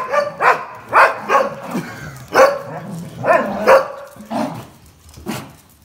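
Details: Jack Russell Terrier and black-white and red-white Border Collies competing for a towel in play, barking in short sharp bursts roughly twice a second, fading to softer yips at the end.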